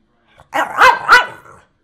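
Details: Hungry pet dog Nash asking for food gives a loud three-part yowling bark, rising and falling like talking, in a quiet indoor room after being offered bacon, watermelon or a bone.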